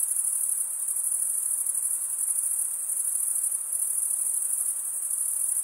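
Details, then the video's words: Crickets chirping by stridulation, rubbing one wing's toothed vein against the other. A steady, shrill, very high-pitched trill hums without pause, with fine pulsing and even loudness throughout. No other sounds stand out. "Most relaxing cricket sound"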